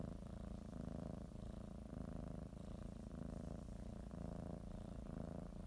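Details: House cat purrs while kneading a blanket before its morning nap; a low, throaty continuous rumble with gentle rhythmic swells about once per second, nothing else audible.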